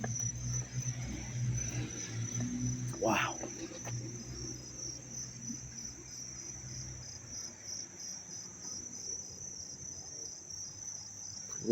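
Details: Crickets in Dobbs Ferry, New York, August 19, 2025, recorded close by: a steady high shrill chirring runs on, partly pulsed, over a low rumble and handling noise in the first seven seconds, plus a brief sharp knock.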